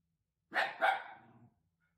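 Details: Shiba Inu at home at night, woken from sleep and turned watchdog: a sharp double bark, the second note trailing into a fading rough tail, otherwise silent.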